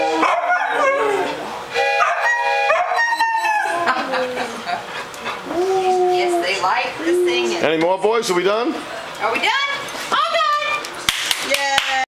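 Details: Howling Siberian Huskies mixing wavering howls with short yips and bends in pitch, joined by a human voice speaking over the animals at times.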